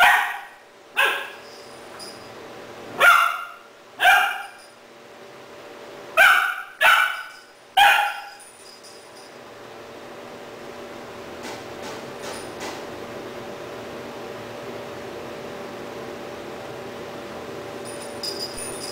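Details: Rahab, a three-month-old female Doberman puppy in Cebu City, Philippines, barks excitedly at a toy stuffed puppy, October 12, 2009. Seven quick, high-pitched barks in uneven bursts fill the first eight seconds, then only a steady background hum remains.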